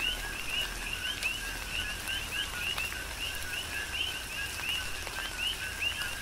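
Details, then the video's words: Rhythmic coqui frog chorus in a tropical downpour on Hawaii's Big Island. Bright, upward-slurred chirps with lower companion notes pulse continuously from several callers, layered over steady rain noise and occasional louder drops. "Tropical Rain & Coqui"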